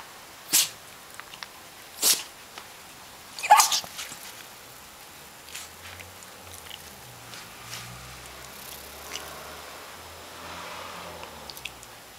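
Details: Pomeranian Hana sneezing several times in a row: three sharp, explosive sneezes within the first four seconds, then quieter breaths and faint rustling.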